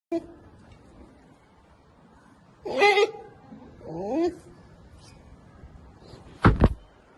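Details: A curious polar bear cub investigating a camera gives a short, harsh bleat, then a wavering moan, before a dull thump, sounding indignant.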